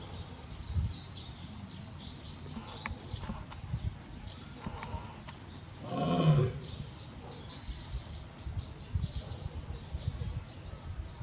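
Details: At Tobe Zoo on 5 October 2021, the lion Barry calls out for Daisy, who is no longer there. A single deep, rough roar swells midway through, surrounded by steady bird chirping and outdoor ambience.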